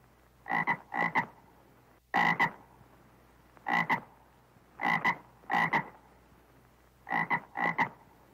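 A toad gives short, harsh croaks, mostly in close pairs, repeated every second or two.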